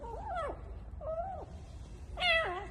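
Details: Hungry, starving kitten found in an underground parking garage meows loudly while eating a bread bun, as if saying how hungry it is: three thin, rising-and-falling meows, the last louder and harsher.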